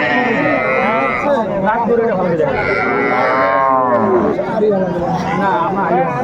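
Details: Small Sahiwal bull and heifer calves at a Barisal cattle market on 8 May 2024; two moos, one drawn-out and one wavering, are mixed with bargaining voices and market chatter.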